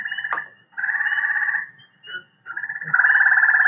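Gray tree frog giving a musical, pulsed trill, slower than the rapid trill of Cope's gray tree frog.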